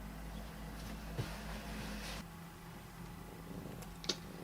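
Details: A domestic cat giving a steady, low rumbling purr that runs throughout, with a brief soft click near the start and a sharper one near the end, indoors.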